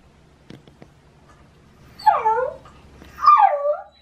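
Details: Shiba Inu named Baku, male in the autumn mating season, howling early in the morning to demand a walk: two loud wavering, bending yowls around two and three seconds in, preceded by a few faint clicks.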